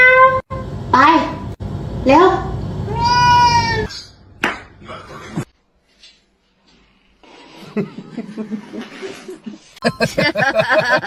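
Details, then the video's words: Cats meowing in a string of drawn-out, harmonic cries that rise and fall, several in the opening seconds, while people talk and laugh over them; later a quieter stretch with rustling and voices. "kitten meowing"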